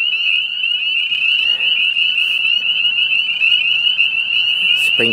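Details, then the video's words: Spring peepers calling on March 30, 2018, a late start to the season. Countless shrill peeps blur into one steady, piercing high whistle that holds unbroken throughout. A brief low knock sounds near the end. "March madness -- spring peeper-style"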